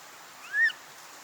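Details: Young snow monkey (Japanese macaque), recorded 2025, giving one short, clear, tonal coo that rises and then gently falls, with a faint harmonic overtone, against a low steady background hiss.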